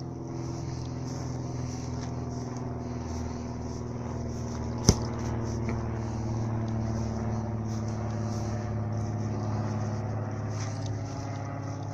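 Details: Steady low engine or vehicle hum dominates outdoors, with one sharp click near the middle and no barking or other animal voice.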